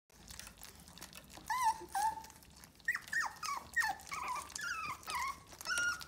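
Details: American Cocker Spaniel indoors making a series of high, sliding whines and yelps, each brief and falling in pitch, about eight in six seconds, with clicks and handling noises in between.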